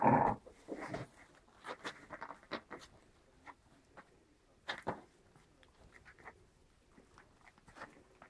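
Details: White Großspitz puppies, seven weeks old, from a Berlin litter of five females and one male with mother Bella, indoors: a loud rough burst at the start, then scattered softer scuffling growls and clicks.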